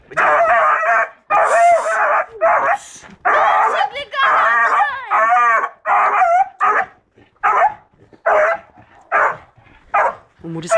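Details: Rambo, a beagle aged seven months, lets out a series of baying barks and yelps, some rising and wavering, about seventy per minute, with a person's voice heard between them.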